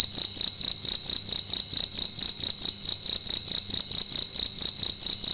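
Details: A cricket indoors in a room at night, chirping loudly: a steady high-pitched trill pulsing in rapid, evenly spaced bursts with no pauses, with no other sounds.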